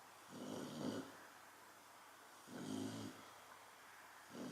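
A Chow Chow snores in slow, rasping, low-pitched bursts about every two seconds.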